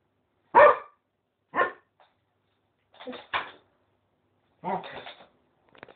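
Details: Cocker Spaniel, male, trying to court a reluctant female West Highland White Terrier; five short, sharp barks or yelps over six seconds, the first two loudest, the later ones rougher and doubled, with quiet gaps between.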